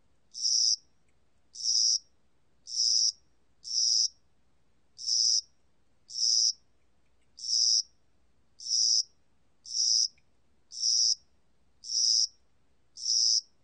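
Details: Cricket of spring and summer, National Institute of Biological Resources recording from 2020, giving short, shrill, buzzing chirps at roughly one per second, a dozen in all, with near silence between them.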